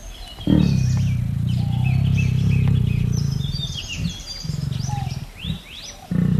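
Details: Tiger roaring in a long, deep, rumbling sustained roar with a strong low pulsing tone lasting several seconds, then shorter bursts; birds chirp and whistle throughout in the background outdoors.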